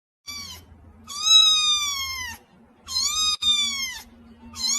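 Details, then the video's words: Young cats, a compilation of kitten clips: clear high harmonic meows, three long ones arching slightly downward, each about a second and a half, with a short fourth starting at the end; steady low hum beneath. "Cute and Funny Cat Sound Videos Compilation"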